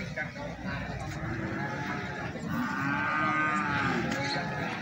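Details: Feeder cattle at Plaosan market in Magetan, offered for sale; a short low harmonic moo rises out of a constant crowd and market din, with other cattle sounds mixed in.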